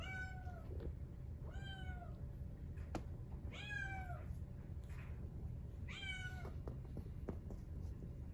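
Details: Brown tabby-white Exotic Shorthair male kitten, born 4/6/2021, calls four times, thin plaintive meows roughly every two seconds, the last one louder and longer, over faint low hum with light tapping sounds.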